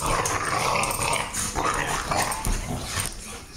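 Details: Two dogs, one a puppy, growl and snarl in rough, rapid bursts while play-fighting, as they do constantly; most of the growling comes from the puppy.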